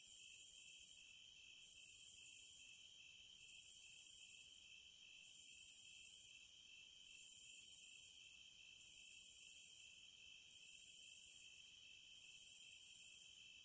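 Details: Rhythmic cicada song: bright, sizzling bursts rise and fall about every 1.5 to 2 seconds over a constant lower whine, seven or eight surges in a row with nothing else audible.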